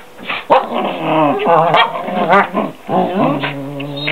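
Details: A half German Shepherd and a Goldendoodle kept as pets vocalise together, giving warbling, up-and-down whines and moaning howls in long overlapping phrases, broken by a brief pause before resuming.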